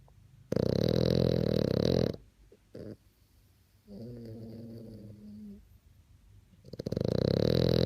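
A French Bulldog snores in heavy, gravelly bursts, each breath a harsh rattle lasting over a second. Between the louder snores comes a quieter, buzzing, slightly whistled exhale.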